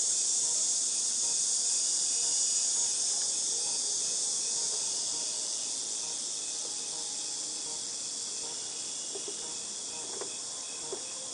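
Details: Cicadas in August 2018 keep up a steady piercing high drone, loudest early and gently fading toward the end, while a few soft clicks and knocks sound faintly below.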